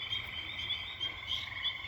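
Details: At night, tree frogs singing from high up in the trees give a rolling brrr trill within a steady, high-pitched frog chorus.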